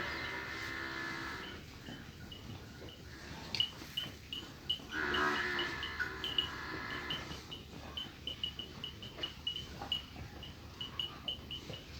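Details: Nili-Ravi buffalo at Dera Sajjad Toor, Chak Dhillu, Gujrat, giving a drawn-out, harmonic lowing call at the start and again around five seconds, with small birds chirping steadily in the background.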